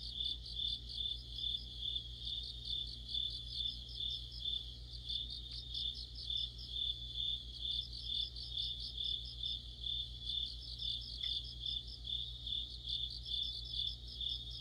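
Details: Autumn insect chorus of crickets and other insects: a steady high trilling band with pulsed chirps layered above it, overlapping voices repeating roughly twice per second, over a low constant hum.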